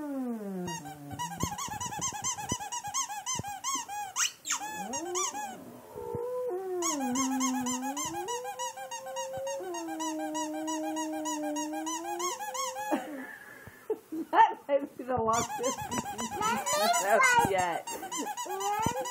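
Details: A Boxer dog sings in response to a squeaky toy: long, steady, wavering howls held for several seconds at a time, mixed with rapid repeated high squeaks from the toy throughout.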